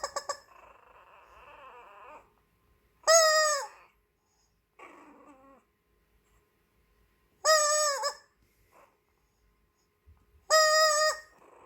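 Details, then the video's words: Toy Poodle puppy Coco, filmed as a baby, reacting as a squeaky toy keeps being squeezed: drawn-out, low harmonic growling and grumbling in the pauses, broken up by three loud, high squeaky-toy bursts. "삑삑이로 계속 시끄럽게 했을때 코코 반응 Toy Poodle Puppy Response when Beeper keeps making noise."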